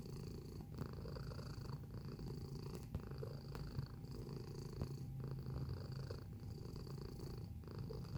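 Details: Close-up of a purring house cat. A deep, even rumble pulses with its breathing roughly every second, and a soft constant tonal whine sits underneath throughout.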